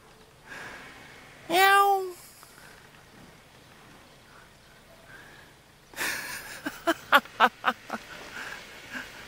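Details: A cat, one of two keeping watch over a vegetable garden in Jeonju, North Jeolla Province, Korea, gives one strong arched meow with bright harmonics. Several seconds later comes a rapid series of sharp clicking or tapping bursts over quiet background hiss.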